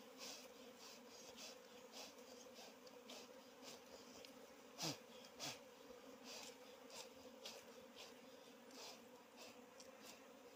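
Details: Wild forest bees buzzing while their honey is being harvested: a steady, low droning hum with layered overtones runs throughout, broken by sharp clicks and knocks from the work.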